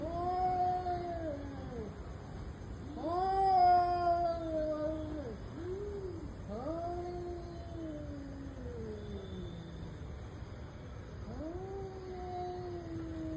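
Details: Fighting cats trading long, wavering yowls, one swelling loud and strained near the start, then several falling, moaning wails in close succession with short gaps, steady hiss underneath.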